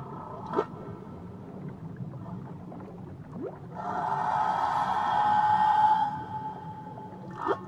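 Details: Tahiti whale singing: short sweeping calls at the start and end frame a drawn-out, swelling tonal moan lasting about two seconds, heard over low, continuous water noise.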